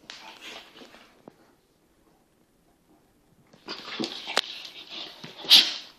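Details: Two playing Kangals, an eight-month-old full Kangal puppy named Venus or Tyson and a smaller cross Kangal, give rough whining grumbles, fall silent for over two seconds, then burst into louder, higher squealing play sounds.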